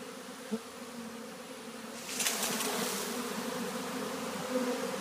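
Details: Honey bees entering a new hive, 3/7/2013; a low even hum carries through, then a rushing broadband hiss rises after two seconds and stays, with a short buzz of a passing bee early on.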